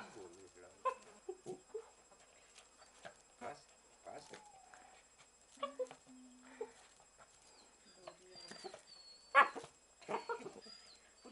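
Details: A dachshund plays with hedgehogs, trying to make friends while they keep away; short soft whines and whimpers come in scattered bursts, one steadier low whine near the middle, with voices and a thin high whistling tone.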